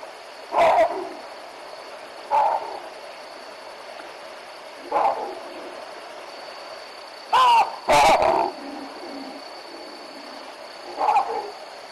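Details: Baboon troop at the Olifants River giving alarm calls at a young male leopard: loud, harsh barks spaced a few seconds apart, including a quick double bark, over a steady background hum.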